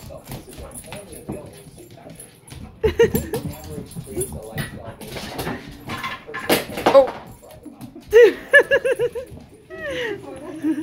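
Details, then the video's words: Hyper German Shepherd kept with a Shepherd mix, heard indoors amid human speech and clatter, then a quick run of high, wavering whines and yips near the end. "Hyper German Shepherd and Shepherd Mix"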